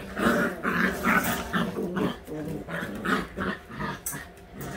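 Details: Eight-week-old white Husky puppies playing together, producing a steady run of rough play growls and grumbles in quick pulses, with a few sharper yelps and light scuffling.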